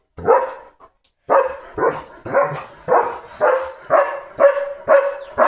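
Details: Pet German Shepherd Leo, with a sore leg, barks steadily in a courtyard: about ten strong, evenly spaced barks at roughly two per second, and a person is shushing him in Marathi.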